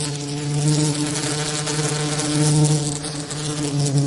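A bee gives a steady, low droning buzz that wavers slightly in pitch.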